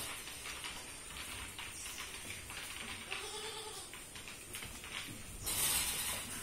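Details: Sirohi goat on Raigad Agro Farm at Mahad, Raigad, kept for sale; a brief, fairly faint wavering bleat sounds midway through, over steady background rustling and scattered clicks, with a louder knocking burst near the end.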